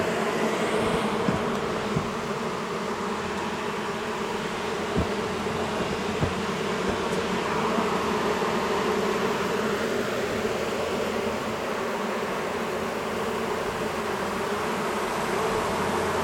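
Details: Honey bees of a long-established colony in a house wall, angered at nightfall during a cutout, keep up a thick continuous buzz, with a few sharp knocks and clicks from the work scattered through it.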